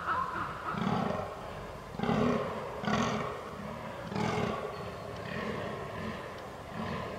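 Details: Fallow deer during the rut, 22 October 2022, recorded on a Canon R6: deep, hoarse belching groans in short bursts, roughly one every two seconds, with a few louder grunts standing out against a steady outdoor background.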